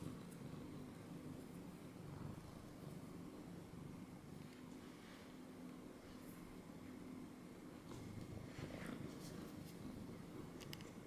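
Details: A cat sits on someone's lap and purrs quietly, its low continuous rumble running the whole time, broken by occasional light rustles and clicks toward the end, indoors.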